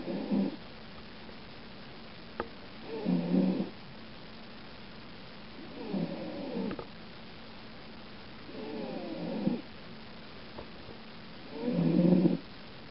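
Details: Domestic cat asleep in a cat carrier, snoring in the dark: low, rasping breaths in bursts about every three seconds, each lasting under a second, with a few faint clicks between them in an otherwise quiet room.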